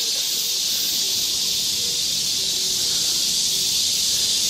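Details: Cicadas in full summer chorus in Galsan Park forest, Seoul, Korea. The sound is an intense, unbroken, sizzling buzz that holds steady and fills the air, with faint low murmurs beneath.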